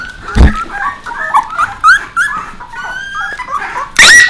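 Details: Puppies with Bek, the adult dog: a busy overlapping chorus of high whining and squeaky whimpers, some rising and falling, with a sharp loud yelp near the end and a thump early on.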